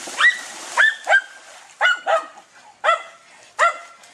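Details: Close, loud barks from Dunja, a German Hunting Terrier confronting wild boar: seven sharp, ringing barks in about four seconds, some in quick pairs, against a quiet background.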